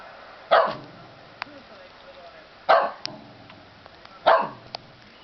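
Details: Shetland Sheepdog in Japan that always sneezes when angry, here upset at baseball cheering on TV: three sharp, explosive sneezes about every 1.8 seconds, each with a short decaying tail, amid quiet room noise and faint clicks.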